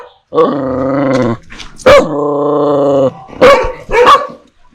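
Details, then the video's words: Dog from a recording of dogs barking fiercely at strangers and puppies barking at familiar people; two long, steady, drawn-out whining tones, each about a second, broken by short sharp barks near the end. "Sounds of DOGS and PUPPIES barking"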